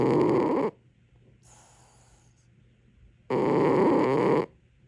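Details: A cat asleep, giving two long, harsh, rumbling snores separated by a faint hissing breath out; the room is otherwise quiet.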